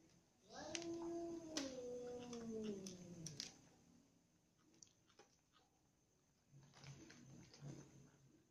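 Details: Cat meowing as a ginger cat, little cats, a baby kitten and the mother cat all have dinner together; one long drawn-out meow gliding downward over about three seconds, then quiet chewing and clicking sounds.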